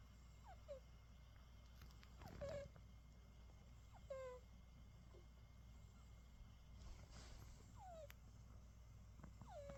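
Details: Sleeping British Shorthair cat, worn out from a full day of play, snores with faint nasal whistles sliding downward roughly every two seconds, plus a few light rustles and clicks against a quiet room hum.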